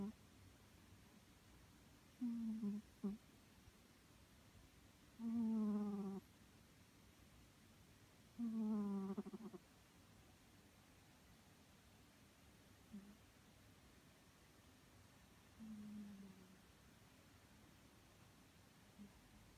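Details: A sleeping three-year-old male Scottish Fold named Maru snores in low, groaning tones, three strong snores followed by softer fading ones, spaced a few seconds apart in a quiet setting.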